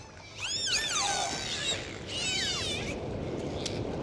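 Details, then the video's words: In the sea, dolphins produce two bursts of wavering, overlapping whistles, the first sweeping up then sliding down, the second a tight cluster of rippling tones, above a low underwater rumble. "Sound of Dolphins"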